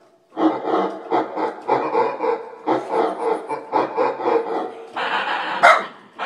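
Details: Pet dog reacting to keyboard sound effects with continuous rough, pulsing vocal grumbles roughly every half second, ending with a brighter hissy burst and a sharp click.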